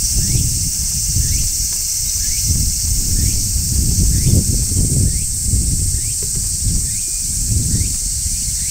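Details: Steady shrill of a large brown cicada on a tree in midsummer, a constant high buzz, with faint short rising chirps repeating under a second apart and low rustling noise.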